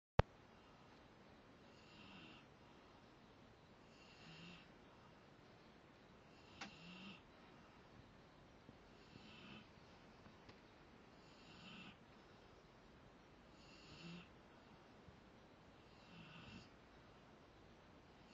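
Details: Rottweiler snoring while asleep indoors: soft, breathy rasping snores repeating roughly every two to two and a half seconds, each with a hissy upper edge, over a quiet room hush.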